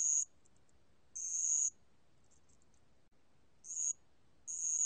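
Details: A bell cricket (알락방울벌레) gives bright, high-pitched trilled bursts, each under a second, repeating irregularly with quiet gaps and faint soft ticks between; recorded in 2020.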